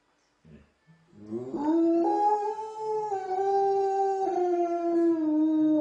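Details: Czechoslovakian wolfdog (Canis lupus familiaris) howling back at wolves: a long, steady howl that rises, holds, then sags slightly.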